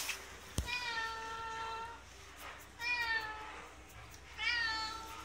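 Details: Friendly resident cat at a ski shop in Hirafu Village, Hokkaido, Japan, giving three drawn-out, harmonic meows about two seconds apart, each a steady tone holding roughly a second; a sharp click precedes the first.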